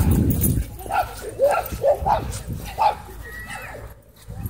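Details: Miniature Pinscher warning when harassed: a run of short, tonal yipping whines, six or so in three seconds, each bending up and down, after a low rumble at the start.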